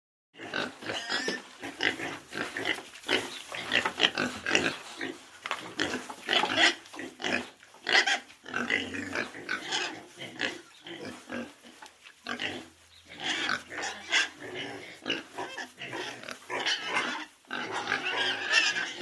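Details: A small group of pigs (Sus domesticus) in a pen grunt and squeal together in a steady, overlapping chorus of harsh, snorting calls.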